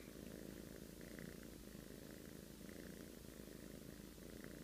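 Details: Low, buzzing rumble of a sleeping cat's snoring, unbroken and even in volume, with soft scratchy overtones drifting in and out.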